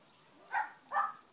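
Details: A Rottweiler makes two brief, mid-pitched tonal vocal sounds about half a second apart against a quiet background, while playing with socks it loves.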